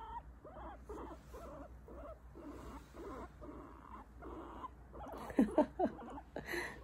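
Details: Pet guinea pig reacting while being petted; soft blurred whining notes in a loose series, ending with a few sharper squeaky chirps near the close, over low room hum.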